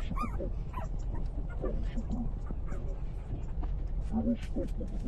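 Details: Newborn puppies, three days old, suckling at their mother: a sharp rising-falling whine at the start, then scattered brief squeaks and soft yips against constant low-pitched noise.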